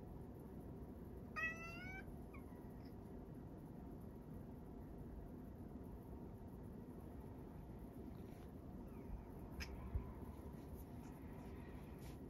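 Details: Sacchan, a male rescue cat living at Kazeno Kobo, meows on the morning of Setsubun 2022: one drawn-out, harmonic-rich meow early on, then only a low background rumble and a few faint ticks.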